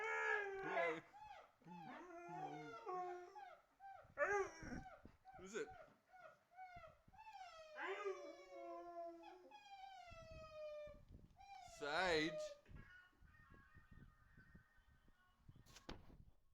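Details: Siberian Husky reacting to an annoying sound with drawn-out wavering howls and yowling whines, rising and falling in pitch, several long phrases over the recording, with a few faint background voices.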